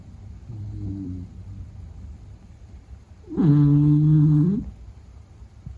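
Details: Beagle Meta asleep, with a faint low rumble first, then one loud sustained humming snore lasting over a second, deep and steady in pitch.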